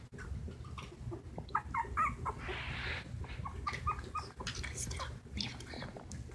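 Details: Two silky terrier puppies, 19 days (2 1/2 weeks) old, eyes recently opened, taking wobbly first steps; short, high squeaks come in a quick run of about a dozen notes, with a person talking and a steady low hum.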